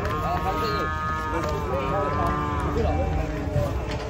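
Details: Cattle being unloaded from a truck, with one angry animal, low in a few drawn-out, wavering moos under a steady low rumble and faint human speech.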